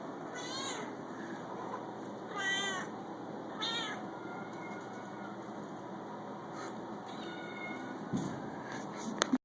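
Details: Talkative shelter cat meowing, three harmonic-rich meows in the first four seconds followed by softer, fainter calls against a constant shelter background hum.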